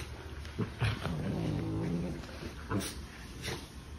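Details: Sibling puppies at play, one giving a low, drawn-out harmonic growl for about a second, with short huffs and yips around it and a person's voice faintly in the background.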